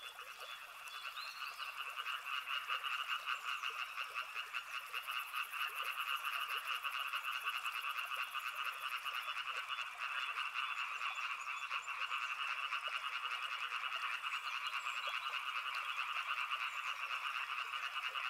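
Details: A continuous mass of frog croaks rises from a river setting, fast rattling pulses layered into a steady wall of sound; a thin, very high ticking appears briefly early on.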